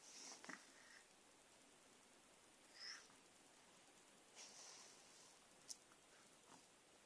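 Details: Persian cat named Margot pouncing on pen and paper, giving a few soft, airy sniffs and snorts spaced a second or more apart, plus a faint squeaky note and light rustling against a quiet hiss.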